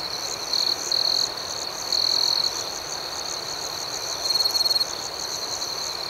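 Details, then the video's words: Crickets at night: a steady high shrill chorus with a second fainter, pulsing band above, broken by louder buzzy bursts of chirps near the start, around two seconds and again late in the clip. "Soothing Cricket Sounds"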